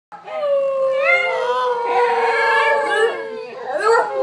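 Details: Pet dog that seems to talk: one long, steady, tonal howl-like vocalisation with rich harmonics, slightly wavering and ending in a rising yelp, indoors.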